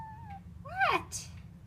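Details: Normally silent pet cat whining indoors one morning: a steady mid-pitched tone, then a louder arching meow that rises and falls, followed by a short noisy burst.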